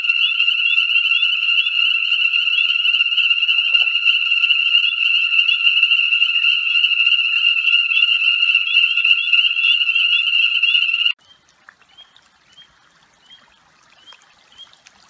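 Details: Ornate chorus frogs at a breeding pool in southern Alabama's Conecuh National Forest, 1 January 2017, light rain near 67 F; loud continuous shrill peeping chorus for about eleven seconds, then only a few sparse, fainter peeps remain.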